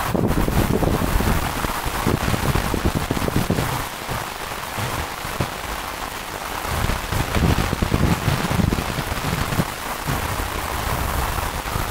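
Steady rain patters throughout with low rumbling, and no animal calls can be picked out.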